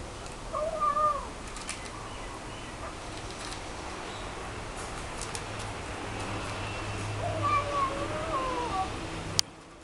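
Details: Domestic cat making noise while eating, recorded 9 August 2012: two short wavering, harmonic mewing sounds, one near the start and another about seven seconds in, over a steady low hum and faint clicks.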